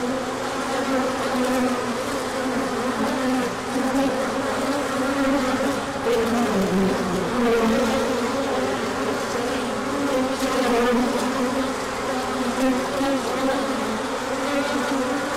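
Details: Large orientation flight of bees emerging in sunshine after a cold spell, 24 March 2024, pollen coming in afterwards; continuous many-winged droning with overlapping wavering pitches that swell and fade as individuals pass close.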